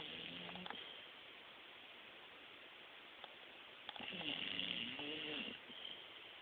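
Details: Sleeping female bulldog, new to the household, snoring: a short nasal drone at the start, then a longer rasping, buzzy breath in the middle, over a steady low hiss.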